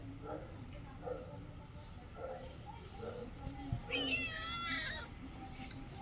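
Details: A pet cat gives one drawn-out meow with a wavering, slightly falling pitch, preceded by several soft, low murmuring sounds in a quiet room.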